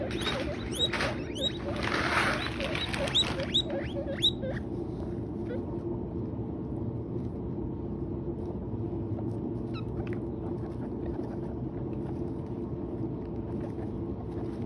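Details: Guinea pigs eating hay give a quick run of high, rising squeaks, then settle into soft rustling and munching.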